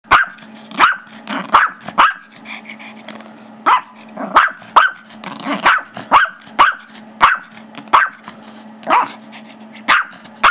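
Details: Gizmo, a 5-year-old Chihuahua/Yorkie mix, barks at his younger Yorkie brother Tigger, wanting the squeaky toy, filmed Feb 10, 2011; sharp high barks in quick bursts, about fifteen, with a low steady hum beneath.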